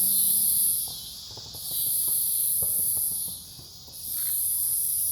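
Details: Night cicada chorus from forest beside a farm in Omaha, Nebraska, recorded 08 03 2021: a shrill, steady hiss lasting over a second, dipping briefly, then returning, with scattered soft ticks and clicks below.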